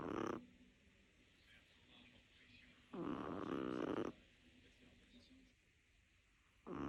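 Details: Lilou, a small Chihuahua, snores in her sleep; loud buzzy rasping breaths about every three seconds alternate with quiet exhalations.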